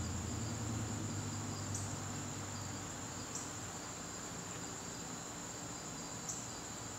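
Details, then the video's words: Garden crickets calling on a September evening: a continuous shrill, high trill that holds steady throughout, with a faint low hum early on. "garden crickets"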